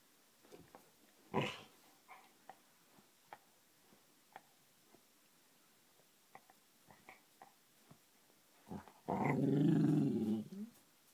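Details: A male Cardigan Welsh Corgi, addicted to tennis balls, gives short grumbling growls, ending in one long, rough growl, an odd growling, purring bark made while handing over his ball.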